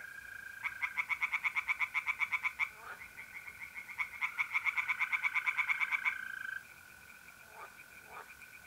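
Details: Tree frogs singing by night in a pond in north-east Italy in mid April: rapid bursts of sharp pulsed croaks, about three per second, with pauses, over a steady trilling of mole crickets.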